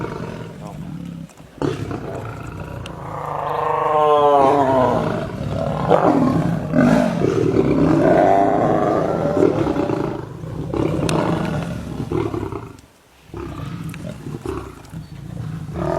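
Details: Lions fighting, described as a lion versus lioness fight with very angry roars; harsh growling roars with broken harmonic bands swell from about two seconds and continue loudly to twelve seconds, then dip before resuming.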